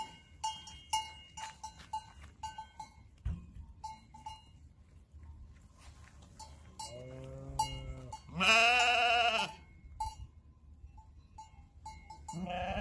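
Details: Sheep flock near the Matterhorn, Switzerland, heading out at dawn to feed: metallic bells clink steadily, then two wavering bleats rise near the end, the second loud and drawn out for about a second.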